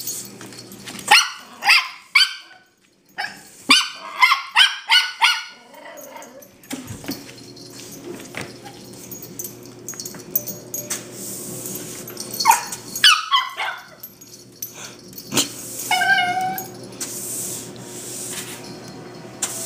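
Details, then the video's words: Two Toy Fox Terrier puppies at home attack a broom and dustpan, treating it as an enemy while protecting their house; bursts of sharp, high yapping barks and growls come in quick clusters, separated by rattling and scraping sounds. "The X-pups protecting their house"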